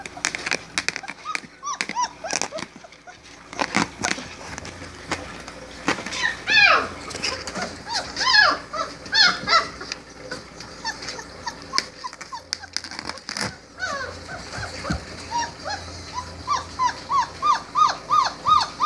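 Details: Litter of 4-week-old Great Dane puppies giving many short, high-pitched whines and squeaky yelps, overlapping and rising in bursts, with a run of rapid repeated squeals toward the end amid scuffling and handling noises.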